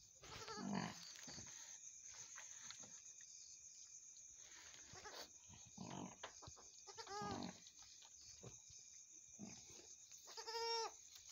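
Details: Mother goat after giving birth to two kids: quiet low murmurs and rustling, with two clear, wavering, nasal bleats near the middle and end, under a constant high-pitched hum.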